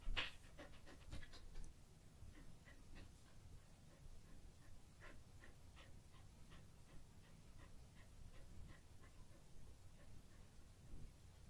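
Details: A well-fed pet Samoyed, the female Daifuku, breathes in quick, soft, rhythmic pants after eating. A louder burst of huffs opens the passage, then the panting settles into a quieter, even series.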